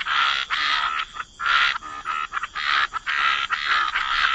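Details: Chorus of frogs at the waterside, a wetland setting: long rasping croaks lasting about half a second each, coming in quick succession with brief gaps between them.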